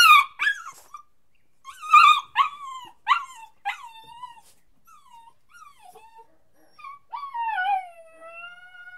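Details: A puppy whining and crying, with quick clusters of high yips followed by falling whimpers, then quieter scattered whines and one long drawn-out descending cry near the end.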